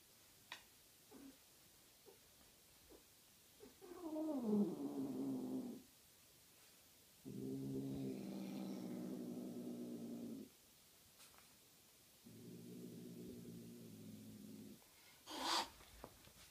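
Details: A white Sphynx cat mating with a blue Sphynx female gives three long, low, moaning yowls, each lasting two to three seconds.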